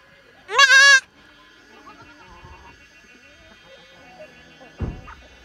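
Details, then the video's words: Goat giving a single loud, wavering bleat with a tremulous, quavering quality, lasting about half a second near the start, followed by quieter background sounds, faint tones and a brief thump near the end. "Talking goat"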